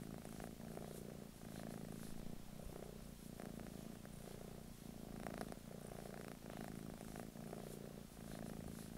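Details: Purring of a British Shorthair cat living in England: a steady low rumble in rhythmic breaths, each inhale and exhale phase lasting about a second, continuous throughout.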